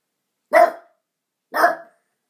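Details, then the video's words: Domestic dog barking at a window: two loud, harsh barks about one second apart, each short and abrupt with a rough, broad tone, in an otherwise silent background. "Harley barking.... Again"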